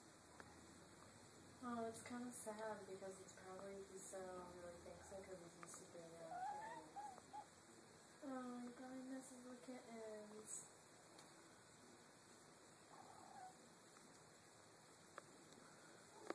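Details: Kitten named Mizu seeing his reflection for the first time indoors, giving a series of short high meows in bursts, some rising and falling, with pauses between, plus a faint steady hum and quiet human voice.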